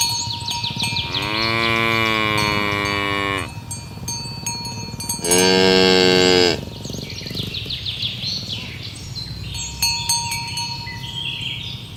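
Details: Tame cows being herded in the morning along village roads toward the pen: two loud, drawn-out moos, the first lasting about two seconds, the second shorter and higher, over chirping birds and steady ringing bell tones.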